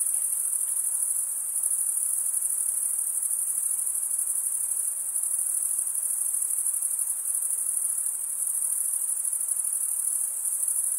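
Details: Chorus of crickets producing their stridulation chirp, a sustained piercing trill that barely varies across the stretch, only light hiss underneath.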